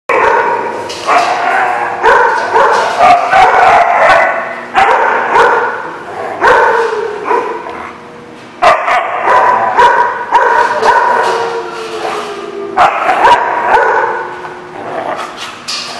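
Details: Dogs barking at The Barking Lot, recorded 30 July 2016: loud, harsh, rapid barks in dense bursts, roughly two per second, with brief pauses between volleys and faint voices in the background.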